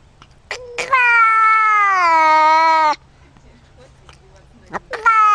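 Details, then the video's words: Domestic cat making strange sounds: a short yelp, then a steady two-second meow slowly dropping in pitch, a quiet pause, and the rising start of another meow. "Cats make strange sounds"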